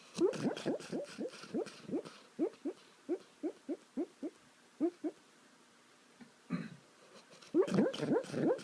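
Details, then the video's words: While sleeping, a dog makes funny sounds: a quick burst of breathy rising yips slows into evenly spaced soft squeaks, falls quiet with a single grunt, then ends in a louder jumble of yelps. "Cute dog makes funny sounds while sleeping"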